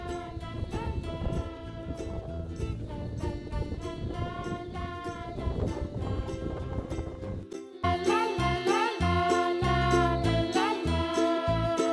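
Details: Bright tinkling music with a steady beat, shifting to a fuller arrangement midway, with no animal voices.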